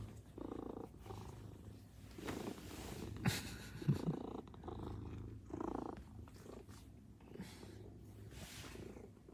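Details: Maine Coon cats waiting at the front entrance greet their owner returning home; a soft, low continuous purr rumbles throughout with faint pulsing, broken by a few brief louder thumps and rustles nearby.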